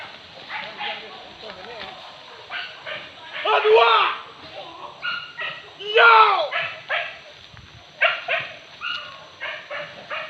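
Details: Pack of hunting dogs baying and yelping during a wild boar hunt in Sicincin, Padang Pariaman, West Sumatra; overlapping bursts of barks, some drawn-out howling yelps, with human voices mixed in.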